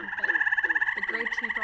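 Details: A gray treefrog (Hyla versicolor) gives a steady, musical trill of rapid pulses, with a faint background murmur underneath, possibly other frogs chorusing.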